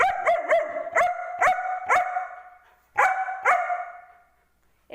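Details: Angel, a German Shepherd, barks back at its owner in an argument: a quick burst of three sharp barks, then single barks roughly every half second, a pause, and two more loud barks.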